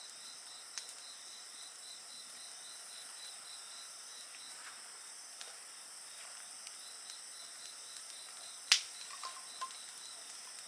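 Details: Steady high insect drone with a regular pulsing trill, several overlapping shrill bands, faint crackling from a bonfire and one loud sharp pop near the end.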